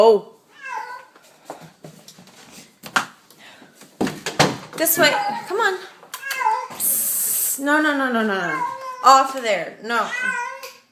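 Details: A feral cat let into a house and stuck up on the window blinds cries in loud, bending meows and yowls amid rattling, a burst of hiss-like noise and a woman's anxious coaxing.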